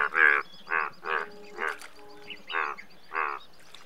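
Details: Indian bullfrog giving loud, buzzy, honking croaks, six bursts spaced roughly half a second apart, each rough and harmonic with a duck-like quality, above a faint steady hum.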